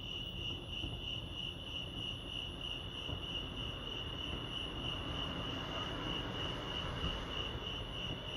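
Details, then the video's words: Crickets chirping at Lake Arrowhead, California: a continuous high pulsed trill with an overtone, accompanied by a louder broadband rumble in the lower and middle range, like distant traffic. "Serenity sounds crickets chirping lake arrowhead"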